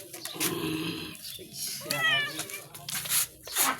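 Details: Domestic cat being bathed with shampoo on a hot day, giving a brief rising, wavering meow in the middle, partly buried under people talking and splashing water.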